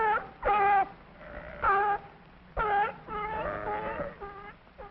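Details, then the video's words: A sea lion at a zoo gives a run of honking, harmonic barks, each under half a second. "S is for sea lion. Let's listen to it bark."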